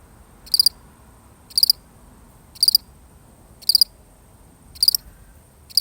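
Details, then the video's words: One lonely cricket chirping alone in a real recording: short, high, bright chirps of a few quick pulses each, repeated about once a second against a quiet, faint background hiss. "The sound of one lonely cricket"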